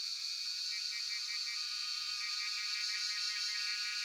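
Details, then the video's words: Cellphone recording of cicadas, known locally as jhyaukiri, at Shivapuri National Park, Tarkeshwor: an intense sizzling drone with quick, slightly irregular pulsing woven through a constant high-pitched hum. "Sound of Cicadas (Jhyaukiri)"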